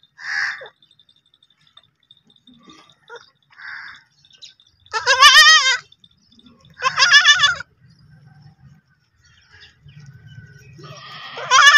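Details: Baby goats bleating, with three loud, quavering, wavering bleats at about five, seven and eleven seconds, each lasting under a second, after a stretch of faint short chirps and quiet background sounds.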